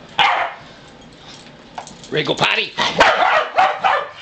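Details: Pembroke Welsh Corgi dogs on a farm, three unrelated males being taken outside; sharp barks and yips in quick bursts, starting with one loud bark then a rapid cluster of overlapping barks.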